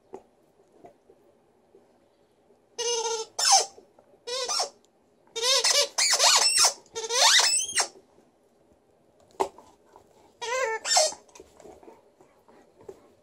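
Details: Female Alaskan Malamute named Liza, indoors in a good mood, putting on a little vocal show: a run of harmonic, wavering howl-like calls, some sweeping up and down, grouped in bursts with short pauses between them.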